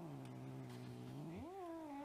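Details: Cat in a onesie gives a long, low, drawn-out moaning yowl that holds steady, then rises and wavers higher near the end, over a constant background hiss.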